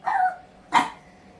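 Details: A hungry pet pug waiting for its breakfast of chicken, giving a short whine-like yelp followed by one sharp bark, indoors and otherwise quiet.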